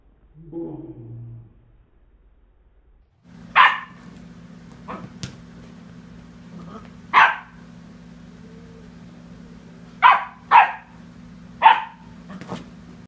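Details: Sadie, a pet dog, harassing the cat: loud, sharp barks in short bursts, about six across ten seconds, some in quick pairs, over a steady low hum. A brief lower sound comes before the barking starts.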